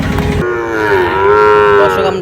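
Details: A single Sahiwal bull calf, one of those bought by a Noakhali farmer in Bangladesh, lets out a clear, sustained moo that swells and dips in pitch after a brief burst of background noise.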